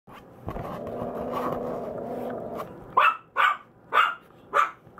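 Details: A Maltese puppy whose paw pads have not yet turned fully black gives four short, high-pitched yips after a stretch of soft, muffled rustling.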